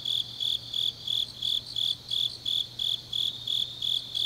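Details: Grass insects in Changnyeong, South Gyeongsang, South Korea, deep on an autumn night. Sharp, high chirps repeat in an even rhythm, roughly three each second, over a steady faint hum.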